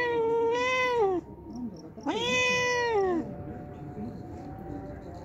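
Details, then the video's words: Two clear meows from a homeless, hungry cat that comes daily for a drink of milk, each about a second long, holding steady then dropping at the end, with a quiet gap between them. "Hungry Homeless Cat Comes Daily For Drinking Milk"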